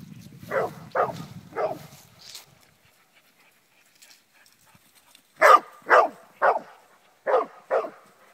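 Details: An English Springer Spaniel playing at home gives sharp, repeated barks in quick bursts of three and five.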